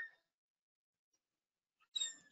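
Orca calls: brief, high, squeaky bursts with bright layered tones, separated by a short silence.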